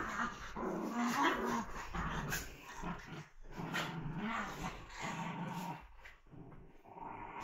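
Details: Puppies playing, giving low rumbling growls with a few higher whining notes, the growls rising and falling in uneven bursts with short breaks, over a steady background hiss.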